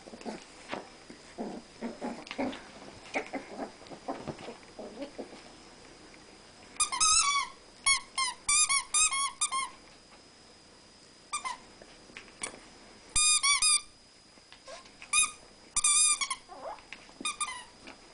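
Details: Two Rat Terriers, Newton and Twinkie, in household play combat; soft scuffling and low noises give way to clustered bursts of shrill, rapid squeaks.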